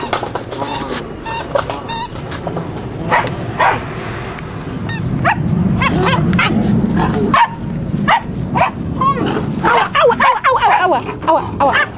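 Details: Eight-week-old Malinois puppies from one litter yapping together: quick, high-pitched yips and squeals tumble over each other roughly twice a second, overlapping unevenly above a steady low rumble.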